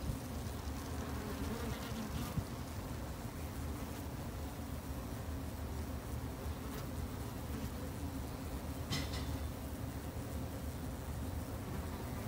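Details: Japanese honey bees in a beginner's garden apiary in Japan, kept for conservation; dense, even wingbeat drone held at a constant low pitch, with occasional brief sharp ticks in the background.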